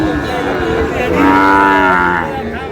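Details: Sahiwal cattle at the Ambari market, Dinajpur district, Bangladesh, with bull calves for sale; background market noise, then a loud, resonant moo of about one second with stacked harmonics and a slight upward bend, followed by crowd sounds.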